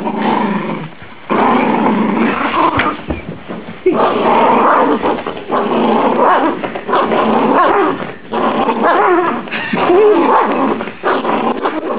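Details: Rhodesian Ridgeback, a tiny rescue dog in the middle of his favourite game, growls almost nonstop, with harsh, rolling snarls broken by brief breaths and a few higher whiny notes near the end, over background music.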